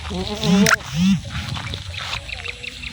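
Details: Goat bleating: two short, strongly harmonic bleats that rise and fall in pitch in quick succession, followed by a quieter outdoor background with faint rustling.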